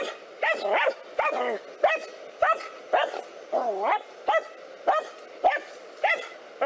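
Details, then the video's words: Two black dogs attacking a cobra, barking in sharp, separate yelping barks about every half second to second, some with a whining rise and fall in pitch, over a low background hum. "Dog VS Snake Amazing Fight | Two Black Dogs Try to Kill Snake | Dog VS Cobra"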